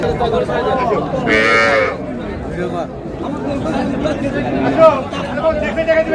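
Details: Dairy cow with her calf at Raniganj cattle market, Dinajpur, Bangladesh, 4 May 2026: one short, high, strained bellow lasting under a second near the start, surrounded by men haggling and market chatter.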